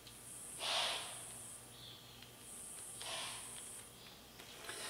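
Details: A deer behind a workshop gives two sharp, breathy whooshing blows, about two and a half seconds apart, sounding the alarm for other deer.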